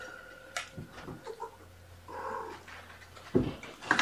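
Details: Indoor afternoon play session on 29 May 2018 with Gamora, a mother cat, and her five kittens born April 14. One brief tonal meow stands out midway among soft thumps and clicks, over a faint low hum.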